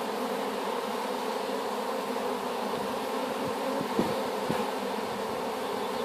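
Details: Honey bees of a swarm taken from an apple tree and just hived, humming in a constant dense drone, with a few faint clicks and taps around the fourth second.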